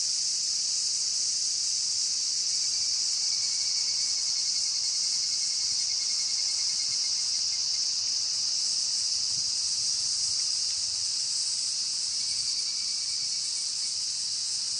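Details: A dense cicada chorus heard on an evening walk, a steady high shimmering hiss with evening cicadas (higurashi) mixed in.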